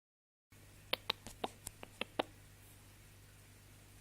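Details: A male Lunkarya guinea pig gives a quick run of short, sharp squeaks and clicks over a faint hum, made in response to his owner saying "ahum".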